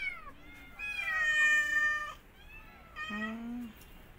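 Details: ['Mother cat with her kittens, shown attacking an orphan kitten after smelling it; clear, tonal meows, one short, then a long wavering cry, then a lower drawn-out meow, in a quiet room.']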